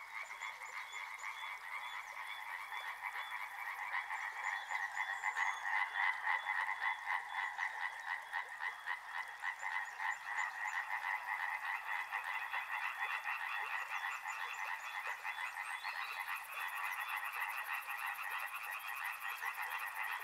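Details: Riverside frog chorus of fast, continuous croaking in two pitch bands, swelling louder after the first few seconds; a faint high buzz enters near the end.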